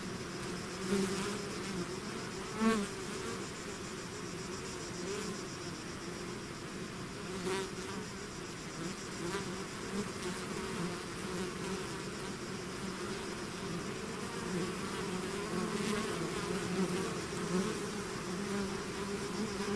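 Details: Outside the hive, a bee swarm produces a constant many-voiced hum, with sharp clicks or close fly-bys about every few seconds over the steady drone.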